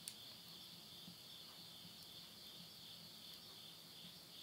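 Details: Night insects at midnight in the Tottori countryside, Yurihama, Japan, September 2020, at the end of summer. A faint, steady, high-pitched continuous trilling hum persists throughout, with a single sharp crackle near the start, likely from a wood stove fire.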